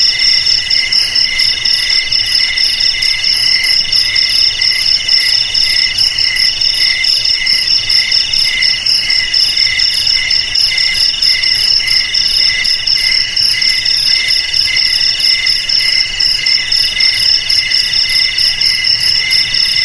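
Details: Long run of crickets chirring in chorus, high layered trills with a regular quick throb, very even in loudness throughout, faint hiss beneath.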